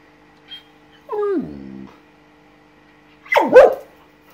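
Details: Anouk, a female Samoyed dog, indignant at seeing a red lizard for the first time: a drawn-out whine sliding steeply downward and fading into a low grumble, then about two seconds later a sharp, rough yip-like bark.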